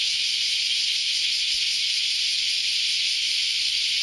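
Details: A great chorus of cicadas on an early Saturday morning, heard as an unbroken, intense high hiss with a faint pulsing texture, no birds or voices audible.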